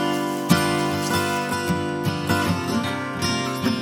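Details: Strummed acoustic guitar music plays throughout, with no animal voice.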